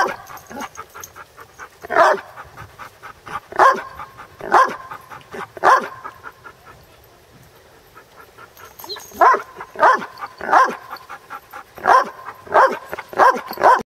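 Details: Basset Hound at play, barking in bursts: single loud barks spaced about a second or two apart, a quiet gap in the middle, then a faster run of barks toward the end.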